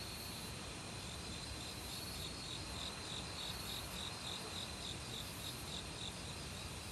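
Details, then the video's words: Autumn crickets in a forest, calling together with various other insects: short pulsed chirps repeat steadily at a mid-high pitch, with thin high trills above, over a constant rushing stream of valley water. "가을 귀뚜라미 소리"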